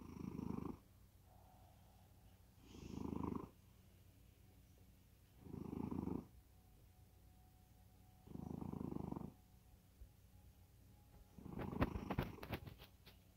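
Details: Sleeping cat snoring deeply, giving five low, buzzy, pulsed breaths at steady intervals of about two and a half seconds in a quiet room. A brief clattering rustle follows at the end.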